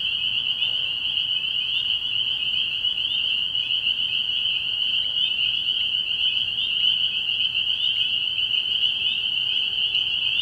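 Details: A steady, intense chorus of spring peepers at a frog pond at night in early spring. The many high, piping calls blend into one continuous bright ring with no pauses.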